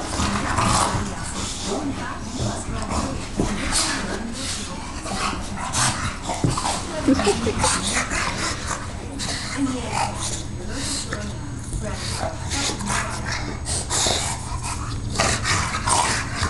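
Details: Winston the bulldog just after a bath, giving a long run of rough, breathy snorts and snuffling bursts that come in quick uneven clusters, with a man's voice speaking softly at times.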